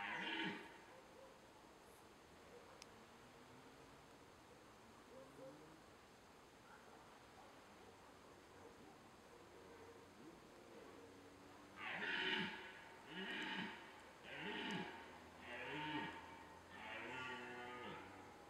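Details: Red deer during the rut: after a long stretch of quiet, faint background, a burst of five or six hoarse, harmonic roaring bellows comes about once a second, rough and grunting, then fades.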